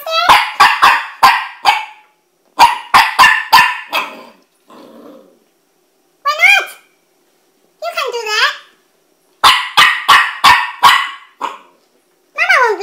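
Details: Puppy reluctant to go down the stairs, giving bursts of sharp, high barks in quick runs of four or five, mixed with whiny yelping cries rising and falling between the bark runs.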